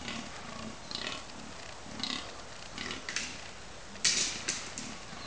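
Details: Fallow deer bucks at Cannock Chase during the October 2011 rut, while fighting, groan in deep, belching grunts repeated roughly once a second.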